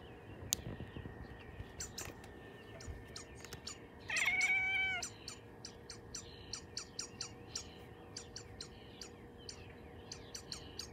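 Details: Xena, a 6-month-old Bengal cat, sits at a window chirping at birds outside: one loud, harmonic, slightly wavering call about a second long, set among scattered faint short ticks and clicks against a low steady background hum.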